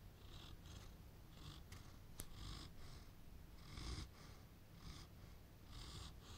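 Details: A Landseer dog snoring while dozing off: soft, low, rumbling breaths with faint airy hiss bursts recurring roughly every half second to second, quiet and steady throughout.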